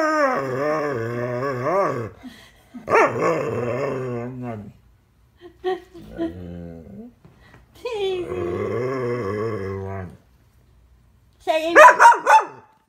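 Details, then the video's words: Rescued female dog giving her owner a daily 'talking to': several wavering, moaning growl-howls of one to two seconds with short breaks and a few soft grunts, ending in sharp, high yips. "Dog gives owner another rough talking to."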